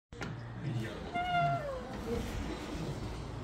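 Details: Pet cat out for a walk outdoors: a single drawn-out meow that holds level and then slides downward, over low rumbling background noise.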